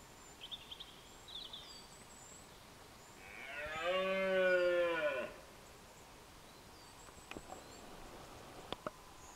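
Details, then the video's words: At dawn in the rut, a deer across a Scottish glen gives a single drawn-out, rich harmonic roar of about two seconds, swelling then cut off, with faint small birds calling before and after. "Deer roaring during the rut - at dawn"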